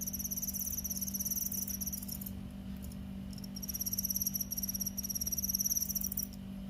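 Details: Paddy-field crickets: rapid, high, dry pulsed trills in bursts of about two seconds, separated by short gaps, over a steady low electrical hum.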